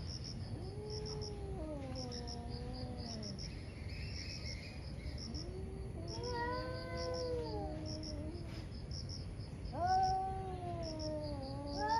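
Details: Two ferocious cats fighting one morning, hard to separate: three long drawn yowls, each rising then sagging slowly, separated by short pauses, crickets chirping steadily and a low hum beneath.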